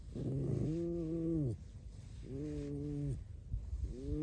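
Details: Pet red fox squeaking, with no human talk: three drawn-out harmonic whines, each under a second, steady then dipping at the end, separated by short pauses over a low background hum.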